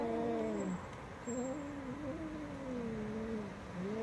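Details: Cat meowing loudly: a long, low, wavering drawn-out yowl that dips and rises without break, pausing briefly near one second before resuming and sliding on, with faint background hiss.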